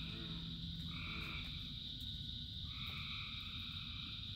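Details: Frogs calling in the rain: a steady high chorus drone over a hiss of rainfall, with a nasal two-toned note rising in at about one second, another from two and a half seconds, and a low hum at first.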